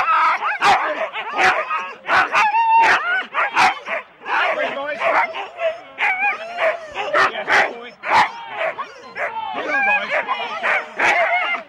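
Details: At Rendlesham in January 2016, four-dog Husky teams bark and yip in uneven bursts before the start, with people talking amid the dogs' high wavering whines.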